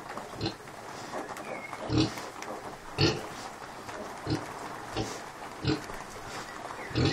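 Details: Grumpy Kunekune sow, recently unwell, up and about with her five-day-old piglets; low, husky grunts repeat roughly once a second in an even series, with a faint thin whistle near the start.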